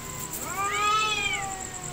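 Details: Two cats in a real fight: one loud, rich, arching yowl that swells and rises, then slowly falls away over about a second, with a faint high whine behind.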